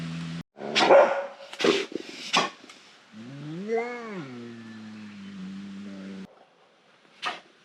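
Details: Asian black bear producing a quick series of rough, breathy huffs, then one long rising-and-falling moan that trails off into a level hum, ending with a final sharp burst.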